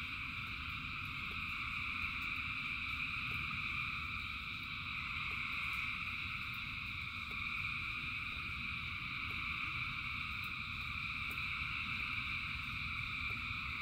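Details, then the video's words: Frogs in rain, countless callers blending into one constant high trilling drone in several stacked pitches, steady throughout, backed by a low roaring wash and faint irregular taps. "Frogs in Rain 2 Hours of Frogs, Thousands of Frogs Singing"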